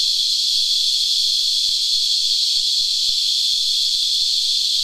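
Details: Cicadas, locally called Christmas beetles, sap-sucking insects on a tree, making a steady, dense, high-pitched rasping whine that never breaks, with faint clicks and soft short low notes beneath.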